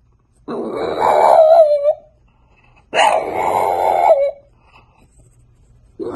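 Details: Indoors, a French Bulldog puppy lets out long, rough, groaning moans, two sustained grumbling vocalizations of about a second and a half each, separated by quiet, with a third beginning at the end.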